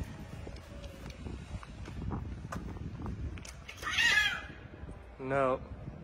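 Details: Street cat, one of a mother cat and her kittens living outdoors, gives two short meows about a second apart, the first higher and wavering, the second lower and bending up then down, over steady low background rumble and light rustling.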